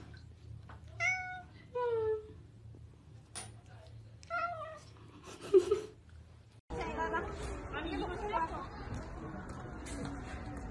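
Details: Domestic cats mewing in short rising and falling bursts, several meows in the first seconds, then loud background voices and noise take over the second half.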